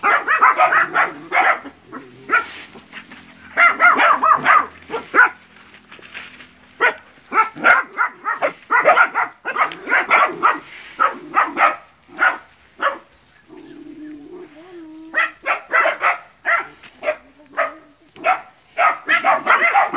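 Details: Training puppies confronting a big water buffalo in West Sumatra, Indonesia, bark in fast, crowded volleys of high yaps, easing briefly midway before resuming as a frantic chorus.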